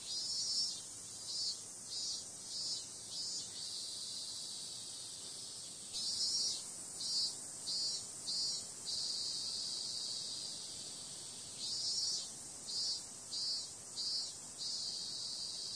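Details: Cicadas on a summer night: a steady, very high hiss-like buzz with bursts of louder pulsed rasps in runs of four to six, swelling and fading about every six seconds. No other sounds stand out.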